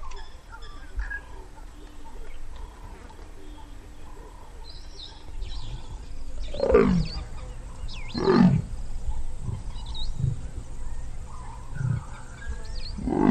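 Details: Two leopards during their mating ritual high in the branches of a sausage tree, calling with deep rasping grunts repeated about every one to two seconds, each stroke sweeping downward, with faint bird chirps in the background.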